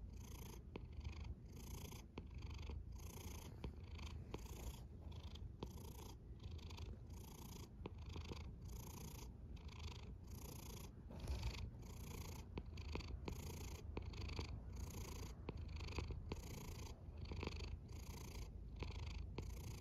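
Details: Domestic cat snoring at rest: a fast, even run of short rasping breaths, roughly one and a half per second, laid over a constant low rumble with faint clicks between pulses, and nothing else heard.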